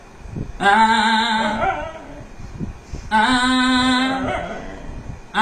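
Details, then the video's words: Dog singing with its owner: two drawn-out harmonic howls, each about one and a half seconds long and steady in pitch, separated by a brief pause over low background noise. "দেখুন কুকুর তার মালিকের সাথে গান করে।"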